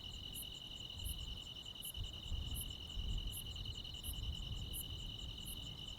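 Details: Crickets and other insects on a midsummer night in the Korean countryside: a steady high trill runs throughout, with sharp ticking pulses above it about every 0.7 seconds and a soft low rumble underneath.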